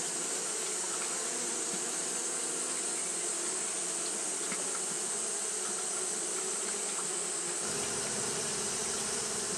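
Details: Japanese honey bees fanning on a hot day make an even, whirring hum of countless wings. Faint flickers of single bees cross it, and a deeper rumble joins near the end.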